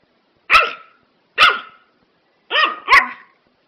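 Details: Prague Ratter dog giving four sharp barks, the last two close together, with strong harmonics and quick decay in a quiet setting.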